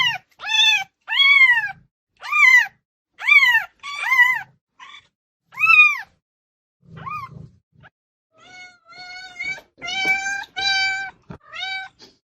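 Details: Domestic cats meowing loudly to get attention: a series of arched, harmonic-rich meows, roughly one per second, followed by flatter, steadier cries from what sounds like a second cat, with short gaps of quiet between calls.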